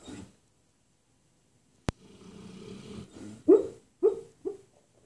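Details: Pet dog taking a morning nap indoors, dreaming and barking in its sleep: a long stretch of soft rumbling snore-like breathing and a sharp click, then three short muffled barks about half a second apart, growing quieter.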